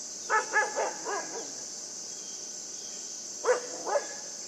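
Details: Yufie, a puppy at play with a buck, lets out a rapid run of five high yips followed after a gap by two sharper, separated barks, with constant hiss behind.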